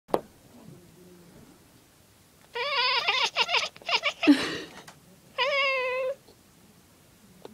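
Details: Pet cat chattering on seeing a bird indoors: a run of stuttering, rapidly broken bursts with a brief hiss-like rush, then one sustained, bright chirping meow.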